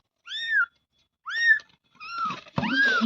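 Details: Kitten with two clear, arching high-pitched mews, then a third mew partly covered by a sudden burst of rustling noise.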